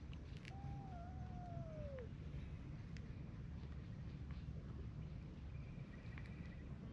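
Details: During a standoff quarrel between a brown tabby cat and a tortoiseshell cat, a single wavering cry dips and then falls away over about one and a half seconds, set against steady low-pitched outdoor rumble.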